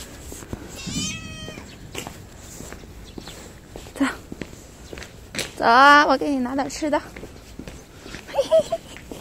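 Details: Kitten greeting a person who has just come into view: a short, high, rising meow early on, then another faint meow near the end. A woman speaks in Mandarin throughout, with footsteps and rustling.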